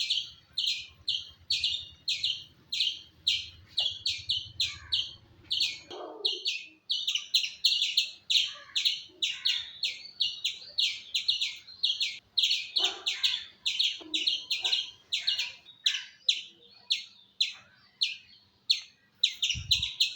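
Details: Squirrel calling with a rapid series of sharp, high chirps, about three each second, steady throughout. A low hum fills the first six seconds and then stops. A few faint, lower knocks sound in the background.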